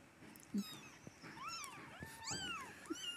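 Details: Stray kittens, one of four in a rescue, cleaned by their carer: several thin, overlapping rising-and-falling meows buried in steady background noise and handling sounds.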